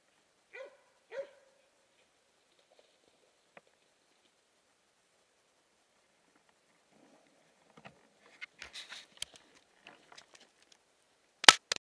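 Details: Hunting dog in Jämtland, Sweden, barking while holding a moose cow at bay; two clear barks about half a second apart at the start, then scattered clicks, rustling and a sharp knock near the end.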